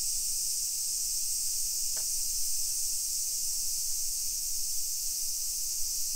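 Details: Cicadas in suburban Nagoya, Japan, at 1 PM on 28 July 2021 during summer: a powerful steady high-pitched buzzing drone, with a single soft click partway through.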